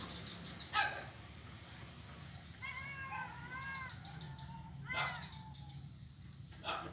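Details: Blind kitten on a wooden ironwood bridge, Jalan Kolonel Sugiono, Kuala Kapuas, Central Kalimantan, November 2019; a wavering, slightly rising meow, then a shorter mew, separated by sharp taps and steady low hum.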